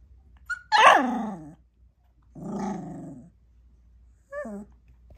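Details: A sassy 4-week-old Bernese Mountain Dog puppy gives a sharp, loud yelping bark, then a raspy, low rumbling growl lasting about a second, and finally a short, high, squeaky yip, with quiet pauses in between.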